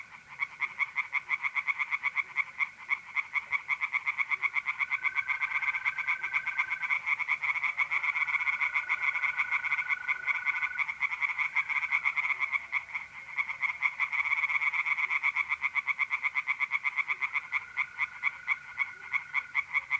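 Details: Continuous chorus of singing tree frogs in a pond on an April night in north-east Italy, rapid harsh pulses pouring out without pause, layered over the even, sustained trill of mole crickets.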